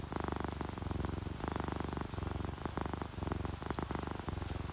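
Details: Calm purring from an orange tabby or calico cat dozing in comfort: low rattling pulses grouped in even breaths, set against a constant hiss and patter of rain.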